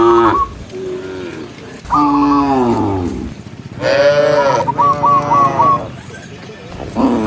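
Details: Cows driven from the pen down a green hill in the morning, looking for grass. A series of long moos, each swelling and fading, is joined by repeated twittering birdsong.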